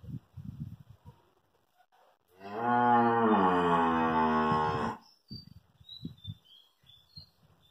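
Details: Two-teeth Hallikar stud bull at Thattikere lows once for about two and a half seconds, a steady, rich moo slowly dropping in pitch, followed by soft knocks, shuffling and faint high chirps.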